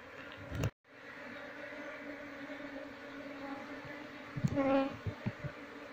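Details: Honey bee colony humming during a move into a cultivation box, its queen still unfound; a continuous low drone with stacked overtones, a sharp knock early on, and a louder buzzing swell near the end.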